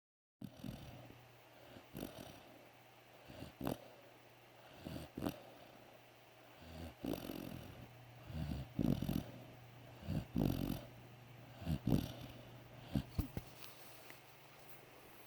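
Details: Three-month-old puppy snoring while asleep on a couch indoors: soft, low rasping breaths recurring roughly every one to two seconds, growing louder toward the end, with faint background hum.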